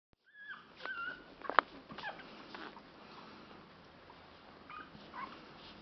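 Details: Ten-day-old pug puppies, whose eyes have just opened, give thin, high whimpers and squeaks in short, uneven bursts.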